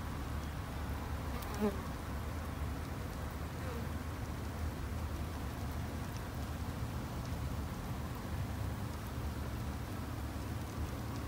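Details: Colony of Japanese honey bees at a garden-side hive kept by a novice beekeeper for protection; continuous deep humming drone of massed wings fills the recording, with a brief faint chirp near the start.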